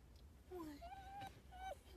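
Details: Pet fox giving short tonal whines, a low falling cry followed by higher, steadier drawn-out notes with overtones, while a person speaks softly to reassure it.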